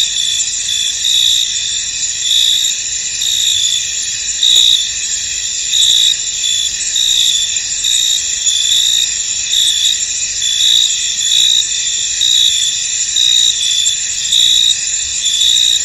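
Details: In a foggy field, many crickets keep up a piercing, steady trill. Louder bursts pulse through it about once a second, irregular in spacing, over a quiet background.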